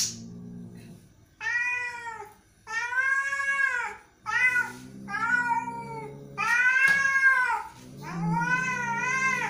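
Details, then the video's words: Agitated indoor cat: about six loud, drawn-out angry meows, arched in pitch and some rough-edged, over a faint low room hum. "angry cat"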